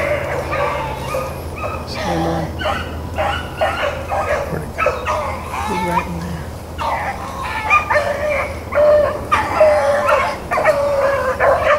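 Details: Hounds, Blackcreeks and Blueticks, running rabbits on April 4, 2013; several dogs bay in overlapping, ringing bawls and yelps, a loose, irregular chorus of calls roughly every two seconds with no other clear sounds.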